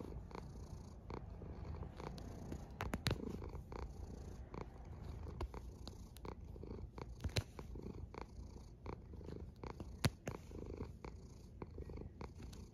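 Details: Deep, even rumbling from a snoring cat, with gentle breath swells rising and falling and occasional sharp clicks over the drone.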